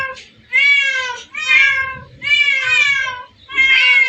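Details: Domestic cats at a place holding hundreds of cats, a so-called secret cat paradise: four drawn-out, harmonic meows, each rising then falling, spaced roughly a second apart with short quiet gaps and faint low background rumble.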